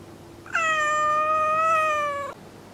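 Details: Domestic cat Kuri, indoors, complaining after housemate cat Kinako stares without blinking; one long drawn-out meow of nearly two seconds, steady and slightly wavering in pitch, rich in harmonics, with a faint low hum behind.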